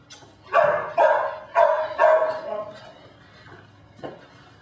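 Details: Belgian Malinois puppy from Mexico giving four sharp, loud barks in quick succession over about two seconds, followed by softer trailing sounds and a brief spoken word.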